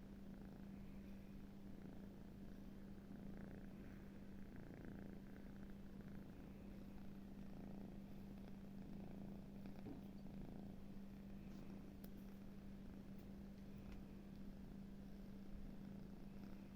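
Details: Snoring kitten, asleep: a steady, soft, low rumbling breath sound continuing without a break throughout, with a faint constant hum underneath and no other clear sounds.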